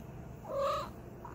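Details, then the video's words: Domestic cat making a cute noise on waking up after sleeping: one short soft vocalisation of about a third of a second, with a tonal middle, set against a quiet room background. "Cat Makes Cute Noises When They Wake Up After Sleeping"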